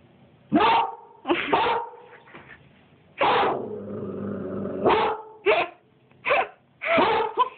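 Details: A 2-year-old Siberian Husky gives loud, ringing barks in short bursts, one drawn out into a wavering yowl, as it barks at its owner's reflection in the back door as if at an intruder.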